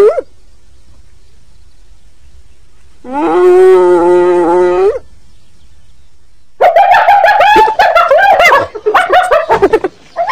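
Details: A hyena's long, steady, moaning tone lasts about two seconds. After a quiet gap comes a loud, harsh stretch of high-pitched cackling laughter that breaks into choppy pulses.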